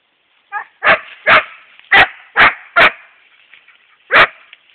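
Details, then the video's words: Epos, a 7.5-month-old Siberian Husky, directs six sharp barks at a hedgehog, five in quick succession about half a second apart, then a lone bark after a pause. "Epos and hedgehog"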